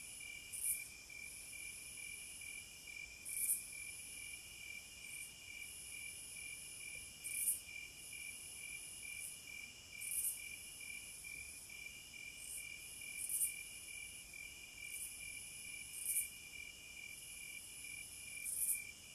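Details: Wilderness chorus of cicadas: an unbroken high whine punctuated roughly every three seconds by a loud crackling burst, with a rapid ticking pulse running underneath throughout.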